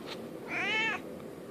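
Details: Merlin the domestic cat begs for treats with one clear, half-second meow that swells and then falls away. The room is otherwise quiet, with a light background hiss.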